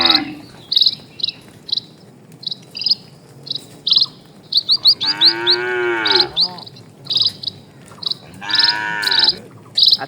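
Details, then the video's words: Dozens of cattle crossing a calm rural road at a slow walk. Two strong, resonant moos, each about a second long, stand out. Rapid high chirps repeat throughout. "SUARA SAPI"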